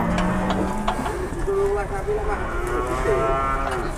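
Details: Cattle being unloaded from a truck arriving at an Indonesian livestock market; low drawn-out moos with harmonic bands, overlapping men's voices and crowd noise.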